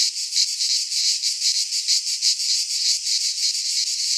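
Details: Midsummer chorus of cicadas in Greek pine woodland, a steady high rasping buzz that swells and fades in rapid regular pulses, about three per second, nothing else clearly audible.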